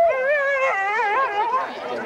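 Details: Sled-race husky howling in the Forest of Dean in November 2001, recorded on old VHS tape: a long, wavering howl that climbs and wobbles in pitch before trailing off, with rich overtones.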